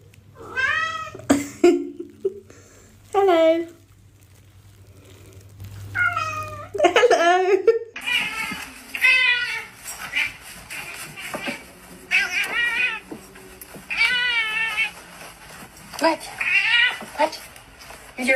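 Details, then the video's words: Pet cats in a funny compilation about cats speaking English, giving a run of drawn-out, wavering, talk-like meows one after another, some rising then falling, with a person's voice and background music beneath. "Funny Cats Speaking English"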